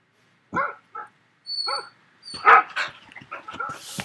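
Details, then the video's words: Barking sounds played back to a puppy: two short separated barks, then a denser, rougher cluster of barks and yips ending in a burst of hiss. "Dogs Barking"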